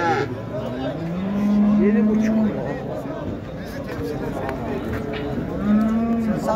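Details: Cattle at the Şarkışla livestock market in Turkey, 15 January 2022, during price bargaining; two long, steady, low moos, the first about a second long, the second shorter near the end, over background chatter and market bustle.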